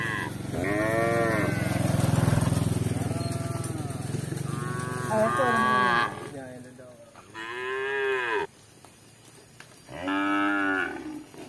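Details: Several harmonic moos from tame village cattle roaming for grass, with a low rumbling engine-like noise beneath the first half, then three clear lows, each lasting about a second, separated by short gaps.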